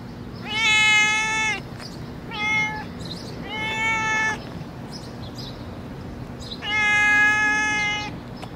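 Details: Skinny stray cat, hungry, meowing in the street: four strong harmonic meows, the first and last long and wavering, the middle two shorter, over a low background hum.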